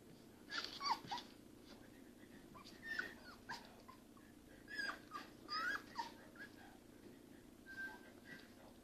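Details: A female Pembroke Welsh Corgi with her first litter of puppies; short, high, thin whimpers and squeaky whines in scattered bursts.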